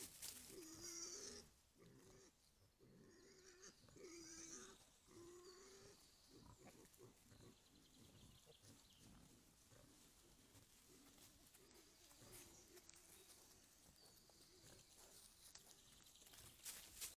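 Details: Group of wild boar grunting: low, rough, harmonic grunts in short bursts over the first six seconds, then fainter snuffling and scattered clicks above a steady hiss.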